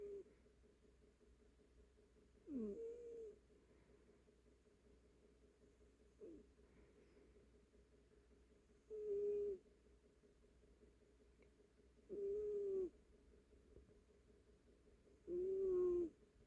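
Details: Snoring house cat, its breaths coming roughly every three seconds as steady, buzzy, nasal drones holding one low tone. The first breath has a brief upward squeak. The room is otherwise quiet.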